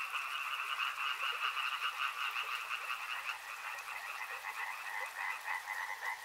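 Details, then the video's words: Dense riverside frog chorus, rapid rattling croaks repeating about two or three times a second, the higher layer fading slightly midway before rising again. "Frog Sounds | Soothing sounds of river and frogs"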